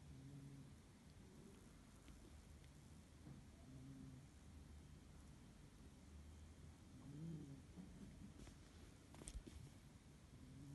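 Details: A sleeping cat named Pasha snores with low, gentle breaths at irregular intervals, some drawn-out and wavering, against a constant low background rumble and a few faint clicks.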